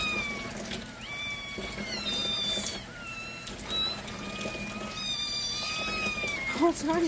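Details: Kittens cry for milk during a morning feeding routine at home. Repeated piercing, drawn-out meows from several animals, about two or three a second, overlap one another while a woman speaks briefly near the end.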